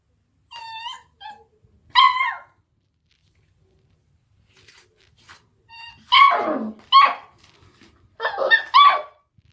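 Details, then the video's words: Eight-week-old Beagle puppy barking at a deaf cat: a few soft whimpers and a high yelp, a pause with faint rustling, then loud harsh barks in quick pairs and a ragged final burst. "beagle puppy barking at deaf cat"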